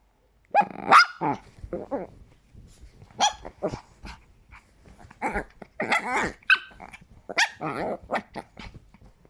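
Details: Chihuahua squeaking like a squeaky toy: short, high-pitched, harmonic yelps and barks in irregular bursts, some with a quick rising-then-falling squeal, grouped in clusters with brief quiet gaps, indoors with no other clear sounds.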